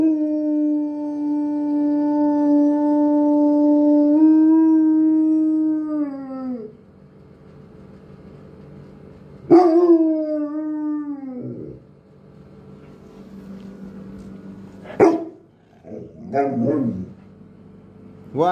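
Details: Kelos, a five-year-old pet Doberman, howling like a wolf: a long steady tone held about six seconds that drops at the end, then a second shorter falling howl, followed by brief yips and whimpers between quieter pauses.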